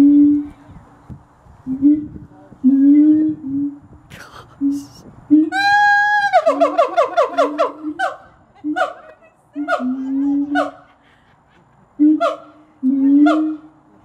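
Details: Siamangs at Gulf Breeze Zoo, adults and a baby, calling back and forth: sustained hoots, then a fast burst of loud, pulsed barking notes, followed by spaced sliding whoops and drawn-out hoots, with people's voices and laughter between.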